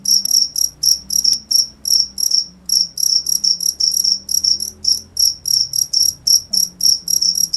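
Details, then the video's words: A cricket gives rapid bursts of high, buzzy chirps, roughly three per second with brief pauses, over a soft low background hum. "cricket sound"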